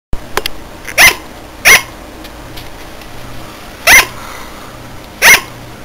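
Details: A sugar glider "barks", a sound it sometimes makes in the middle of the night: four short, bright, high yaps like a tiny dog's, at uneven intervals, over a faint indoor hum.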